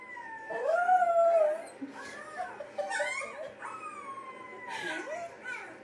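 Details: A dog howls along with howling dogs in a video playing nearby, giving long, wavering, slowly falling tones.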